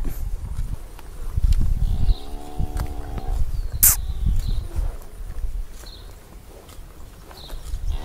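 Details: An angry cow trapped in an irrigation channel beside a grass field gives a brief, low, harmonic moo over rumbling background noise.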